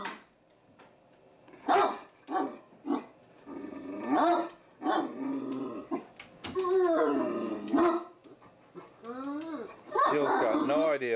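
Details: Deaf Great Danes give short gruff barks, then long, wavering, moaning yowls that bend up and down in pitch.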